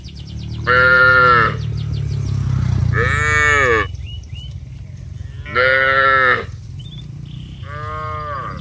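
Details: A group of village cattle calling friends on the way down to the rice fields: four full-throated moos, about one every two and a half seconds, over a low rumbling background with occasional high chirps.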